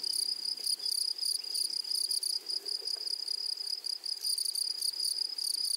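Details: A grasshopper chorus in a meadow, continuous shrill buzzing broken into quick pulses, loud and even throughout, with little else audible.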